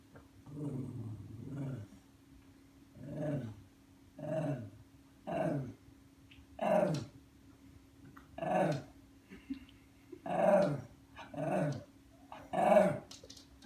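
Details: Ollie, a pet Lhasa Apso indoors, growls in frustration at an automatic feeder whose hopper stays shut because of his RF tag. Low, grumbling growls rise into whiny tones, about ten separate bursts roughly every second, steady and insistent.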